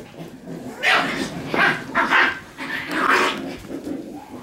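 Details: Shiba Inu puppies play-fighting: loud gruff growl-barks in four or five bursts about half a second apart, harsh and noisy, with softer low growling between.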